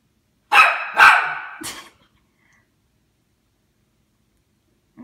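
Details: Indoor Toy Poodle unhappy with a Christmas tree gives three quick, sharp barks in about a second and a half, the last one shorter, followed by near silence.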